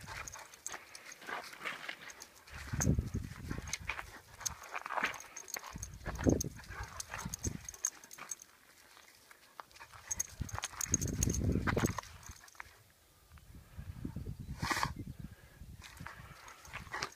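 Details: Rhodesian Ridgeback playing tug of war, giving bursts of low, throaty growling that come and go every few seconds between quieter spells, with scuffing and knocking sounds of the tug toy and movement.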